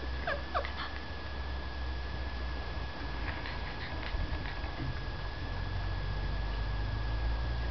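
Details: Male chow chow dog whimpering: a few short, high whines sliding downward early on, then scattered faint squeaks over a steady background hum.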